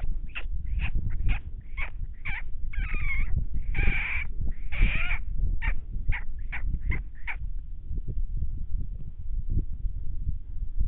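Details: Coyote groups howling in the wild, three packs calling while a big male slips along a fence line after deer; a quick run of sharp yips breaks into wavering, bending howls, then trails off to quiet low rumble.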